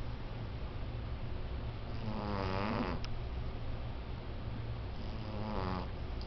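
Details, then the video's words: Sleeping female cat snoring heavily, said to snore like a large man; two drawn-out rasping snore breaths, one midway and one near the end, over a steady low indoor hum. "Cat Snores Like A 300lb Dude"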